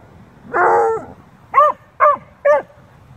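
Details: Two dogs, a beagle-shepherd mix and a bluetick, talking and playing: a long harmonic howling bark, then three short, clear barks about half a second apart, each with a rising-falling tone.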